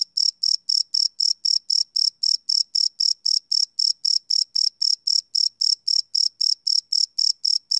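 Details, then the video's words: Night-time cricket chirping captured live with a Sony PCM D100 recorder, each chirp a short bright trill, about four per second in an unbroken, even rhythm against a silent background. "Cricket Chirp Sound - Cricket Sounds at Night"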